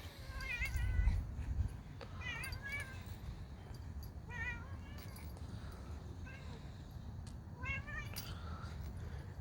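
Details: Outdoor cat, an orange cat seen during a walk, giving a series of short rising-falling meows, about five calls spread over nine seconds, with low rumbling background noise throughout.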